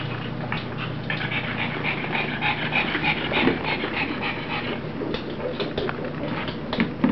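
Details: Panting from Rosie, a playful puppy romping with its mother: quick, hoarse, breathy puffs, about three per second, uneven, with small soft growly or whimpering bits and a faint low hum behind.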